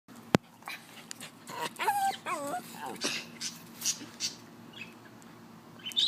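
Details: Pet dog gives a short series of wavering, whining whimpers with bending pitch, among thumps, rustling and handling noise indoors.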